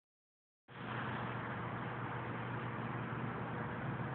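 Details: After a brief silence, steady loud rushing noise with a low engine-like hum continues throughout; no animal sound is heard.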